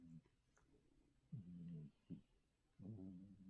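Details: Oryong the mackerel tabby cat in a loud indoor snoring bout: a faint snore, then a deep buzzy breath, a short snort, and another rumbling snore after a brief pause.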